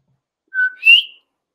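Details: Common coqui (Eleutherodactylus coqui), song.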